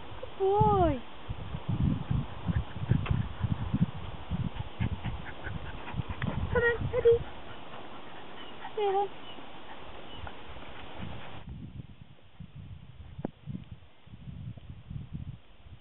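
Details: Jack Russell Terrier named Eddie, excited while out on a walk, gives short high whines that slide downward, one at the start and another about nine seconds in, over crunching footsteps and rustling.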